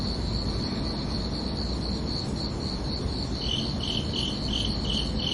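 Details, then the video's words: Crickets chirping at night on a summer evening: one keeps a continuous high trill while a second, slightly lower caller joins midway with evenly spaced pulsed chirps. "Calming Cricket Sounds for Relaxation"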